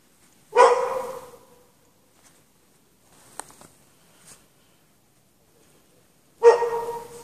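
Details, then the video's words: Dog barking while chained out in the snow at night, no shelter, for hours after 8 PM on 3 March 2014; two single drawn-out barks about six seconds apart, with faint clicks between. "Dog barking chained out in the snow"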